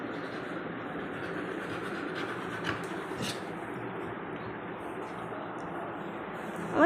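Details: Indoor speech over a steady, rumbling background like a passing train, with no clear animal voice.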